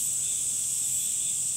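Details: A brief burst of summer cicada sound: an intense, even, high-pitched whirring buzz with nothing else clearly heard.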